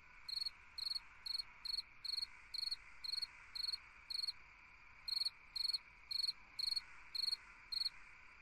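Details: A cricket singing on a summer night: short pulsed chirps, roughly two per second, in two runs separated by a brief pause, over a steady hiss of background night insects.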